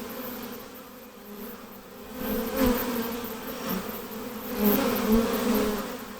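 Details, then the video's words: Western honey bees buzzing near their hive hum steadily, their low buzz swelling louder and fading as bees pass close. "🐝 Honey Bees Buzzing Sound Effect – Natural Hive Ambience"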